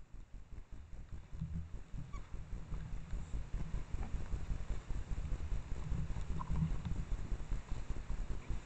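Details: An adult female Japanese wild boar (Sus scrofa leucomystax) forages on a forest mountain trail with her piglets, one suckling, at dusk in late August in Japan, giving deep, rapid, rhythmic, muffled grunts more than twice a second.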